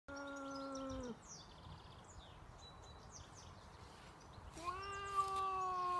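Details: Two domestic cats outdoors, one upset at a neighbour's cat in his territory, trading drawn-out wailing yowls: a steady one-second howl, a pause with faint background noise, then a rising, wavering moan.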